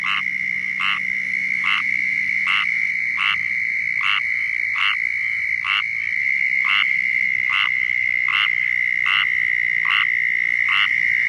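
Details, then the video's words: Squirrel tree frog in Florida repeating its raspy, nasal mating call about once every 0.7 seconds, steady and regular, against a continuous high insect trill. "Squirrel Tree Frog Calling in Florida"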